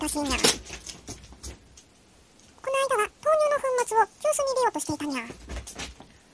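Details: Indoors, Ojako the brown tabby cat makes a talkative series of drawn-out, slightly falling meow-like notes in close succession, after a soft clatter and a quiet stretch.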